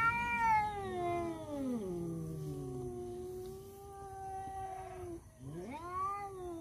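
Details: Domestic tomcats squaring off in a fight over a female, one voice holding a long wavering caterwaul that dips and falls, steadies into a sustained moan, then breaks off before a sharp rising howl returns.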